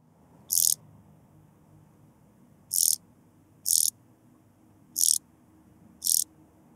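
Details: Blue-winged sand grasshopper, Sphingonotus caerulans, in Bernstein, Austria, on 2 August 2023: short, hissy, high rasping bursts, five in about seven seconds at uneven intervals, over a faint low background hum.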